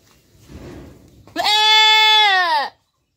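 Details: Domestic goat giving one loud, sustained, tremulous bleat lasting over a second, falling slightly at the end, after a soft rustling lead-in.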